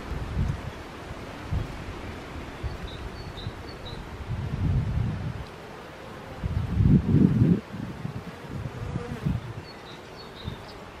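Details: Honey bees buzzing outdoors: a low droning hum rising and falling in loudness in uneven surges, loudest around the middle, with rustling in the background.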